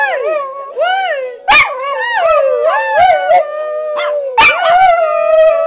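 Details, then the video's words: Three pet dogs howling along to SpongeBob music: wavering, rising and falling howls and yips overlapping one another, with two sharp clicks or claps in between. "Spongebob singing dogs"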